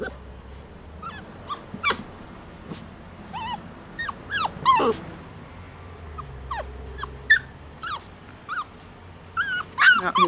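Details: Poodle puppies aged five weeks playing outside, letting out frequent bright yips and falling whimpers, nearly three a second at times, uneven in rhythm and growing louder toward the end, with soft low rumble behind.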